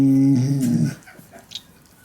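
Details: Shiba Inu pet dog snoring loudly while its belly is rubbed and it relaxes contentedly: one deep, rough, low grunting snore lasting under a second, then quiet indoor room sound.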